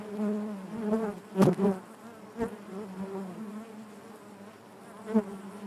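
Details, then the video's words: A chorus of honey bees buzzing within their hive, low rich hum with wavering overtones, two loud close passes with crackling taps in the first half, then calmer even drone. "bees therapy hive natural buzzing sound"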